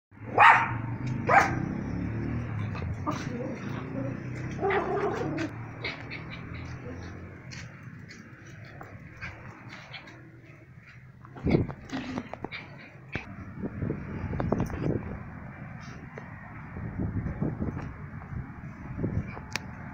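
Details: Small Yorkshire Terrier dog barking in short, sharp, irregular bursts, loudest at the start and again around the middle, with quieter yaps and low background rumble between them.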